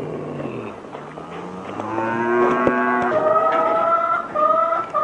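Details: Cow giving a long, drawn-out moo that starts low and rough, then swells and rises into a louder, strongly tonal bellow lasting several seconds, with a few faint clicks in the background.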